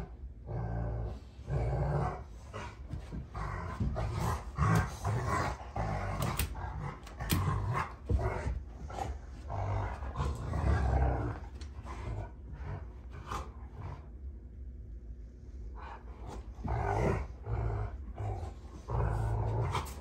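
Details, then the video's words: June and Kenai, a pair of Rottweilers wrestling in play on a ranch, trade throaty growls and gruff snorting bursts, dense low rumbling broken by brief pauses and one quieter lull midway. "Rottweiler WWE SMACKDOWN! (June Vs Kenai)"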